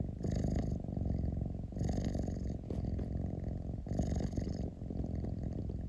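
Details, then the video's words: Close-up house cat purr: a rough, low, rapidly pulsing rumble with three audible breath cycles, each inhalation bringing a short soft hiss. "Cat rumbling sound 猫のゴロゴロ音"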